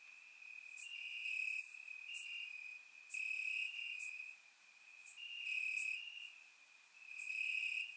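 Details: Warm summer night in Bulgaria: crickets chirping in the grass form an unbroken high trill, with louder swelling phrases lasting a second or more and occasional higher insect buzzes, recorded by a surround microphone.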